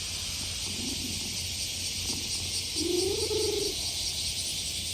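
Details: A stray tom cat, stroked on a summer day, lets out a single brief, rising-then-flat cry about a second long against a constant, intense buzz of cicadas.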